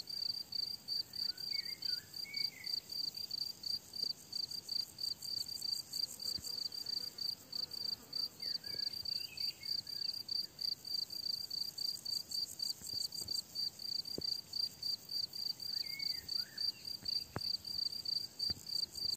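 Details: Summer meadow crickets chirp in bright, high, evenly repeated pulses near three per second; faint bird calls drift in now and then behind the steady chorus.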